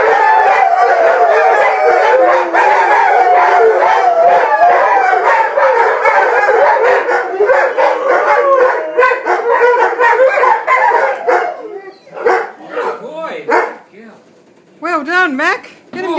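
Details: Rhodesian Ridgeback singing for its supper, a long wavering howl with several overlapping voices for about eleven seconds, then it breaks into short rising and falling yodelled yelps separated by brief quiet gaps.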